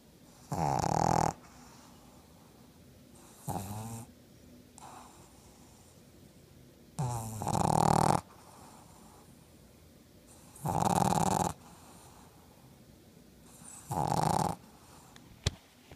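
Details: Yoda, a black pug, sleeping with open eyes and snoring steadily: harsh rattling snores roughly every three to four seconds, some stronger than others, with softer wheezy breaths between them and a faint click near the end.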